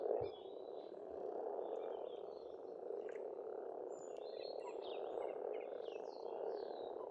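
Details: Pond frogs in Estonia in spring croak together in a steady, buzzing mass chorus, while birds add faint high twitters and brief whistles above.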